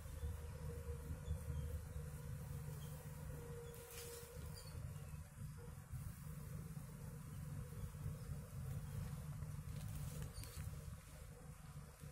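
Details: Indian honey bee colony collected outdoors after a wax moth failure in the box, giving a steady low droning hum of many wings throughout, with a few brief higher clicks and rustles.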